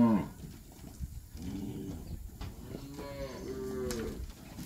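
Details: Calves recorded in Campeche on 20 August 2022 give a series of short, low, nasal moos, roughly three spaced bellows over under five seconds, fairly soft against steady background noise.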